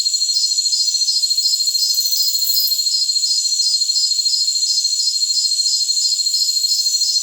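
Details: Jungle crickets, presented as tinnitus masking sound: steady shrill ringing with a clipped, metronomic chirp pulsing about three times per second. Soft airy hiss lies above, and nothing low-pitched is present.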